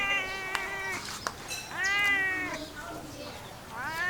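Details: Cat calling with three plaintive meows, the first flat and fading, the later ones rising then sinking, with a few sharp clicks and soft background noise.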